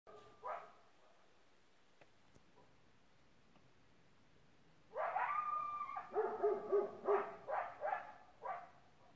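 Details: A Great Pyrenees gives deep, ringing barks, answered by a burst of higher, yipping coyote barks.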